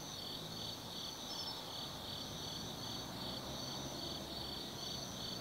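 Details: On an autumn night at the Tsukimi no Mori lookout in Kaizu, Gifu Prefecture, insects sing in a dense, unbroken high ringing trill, with intermittent thin pulsed notes on top and a low droning background.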